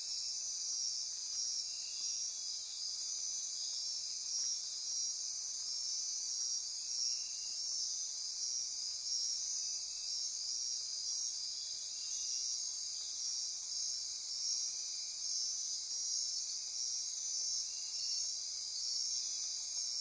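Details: Dense nocturnal insect chorus at midnight in Costa Rica rainforest near Corcovado National Park, Osa Peninsula; steady high-pitched pulsing and trilling bands layered above a faint lower buzz, continuous throughout.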